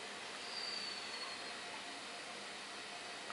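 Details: A steady broadband hiss like a passing train fills the recording, with a faint thin whine but no clear animal call.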